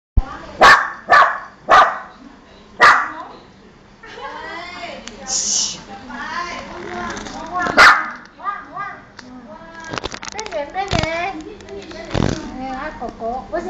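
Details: Pet dog barking at strangers: four sharp, loud barks in quick succession over the first three seconds, then a person talking with household noises and one more lone bark near the middle.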